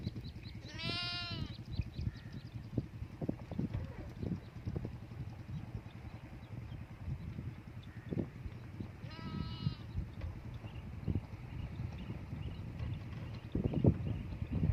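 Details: Sheep outdoors giving two long, tremulous bleats, one near the start and another around nine seconds, with quiet stretches between filled by low rumbling and soft thumps and rustles.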